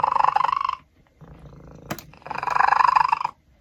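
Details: Domestic cat making a strange noise: a rapid, pulsing, trilling purr-like growl repeated in two bursts of under a second each, with a sharp click between them.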